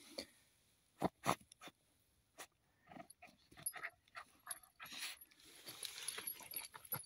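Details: Rubik, a seven-month-old Jagdterrier, digs a burrow with its teeth outdoors near Odesa. Short huffing pants and faint whimpers are mixed with sharp scraping and crunching bursts from the digging, separated by quiet gaps.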